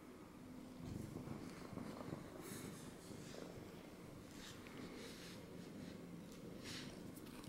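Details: Pet cat settled on a lap after jumping up, purring in a soft, even low rumble, with brief rustling and handling noises scattered through an indoor room.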